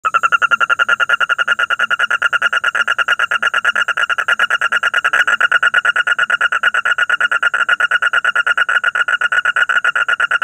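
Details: At night, a frog gives a fast, steady string of rattling pulses, about eight to ten each second.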